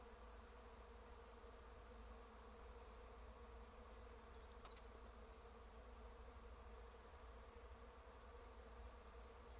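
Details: Trees humming with bees: a continuous low, even droning buzz without pauses, and a few faint, thin bird chirps high above it near the middle and end.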